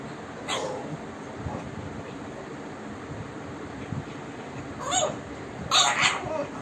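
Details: Bulldog puppy arguing, giving short harmonic yelps and grumbles near the start and again in a louder pair toward the end, with quiet low murmuring between bursts.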